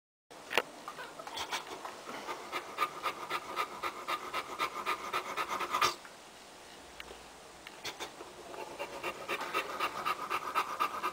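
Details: Boxer puppies, a litter of seven born 02/02/10 to Mell and Ty, four females and three males; fast breathy panting in rapid bursts, pausing briefly near the sixth second before resuming.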